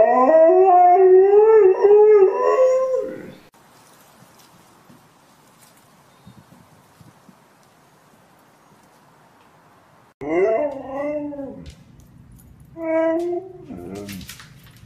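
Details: Siberian Husky, a pet dog, giving a wavering, harmonic howl-like call for about three seconds with pitch sliding up and down, then a long quiet gap before two shorter bursts of yowling vocalisation near the end.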